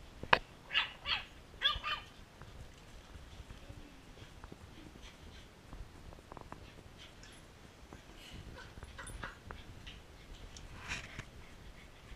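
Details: Two puppies at play, interrupted by a smaller puppy: a quick run of sharp, high yips and little barks in the first two seconds, then low scuffling and faint squeaks, with a few more soft yelps near the end.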